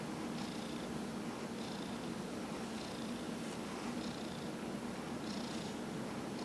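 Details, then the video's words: Dillard the cat, aged 15, purrs steadily under a massage, the low continuous hum broken only by gentle rubbing strokes every second or so. "Dillard the Cat -- Massage"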